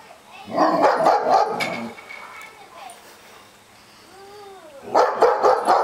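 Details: Dogs barking, recorded in February 2008: a dense cluster of harsh, rapid barks, then a pause with a faint whine-like tone, and a second burst of barking at the end.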